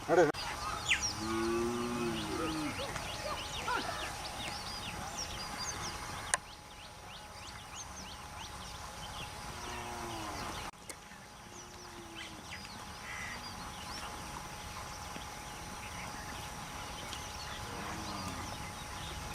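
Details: Grazing cattle walking toward forest in the mountains, mooing several times: deep, harmonic lowing calls near the start, middle and end, with scattered bird chirps and quiet outdoor background.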